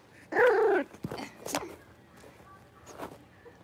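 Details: Indoor pen of five young blenheim Cavalier King Charles Spaniel puppies at play. One loud, wavering, drawn-out whine lasts about half a second, followed by soft scuffles and faint squeaks in a small room.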